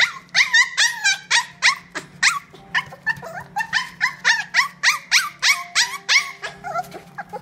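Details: Apricot male toy poodle, born 2018-06-10, in a pet shop, yapping continuously: sharp, harmonic-rich yelps with an upward whiny inflection, repeated roughly three times per second, tapering off near the end over a faint electrical hum.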